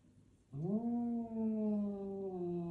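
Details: Domestic cat in a mirror standoff, letting out one long, low, drawn-out yowl that rises sharply at the start, then holds a steady, slightly sinking tone with rich harmonics for about two seconds; quiet room otherwise.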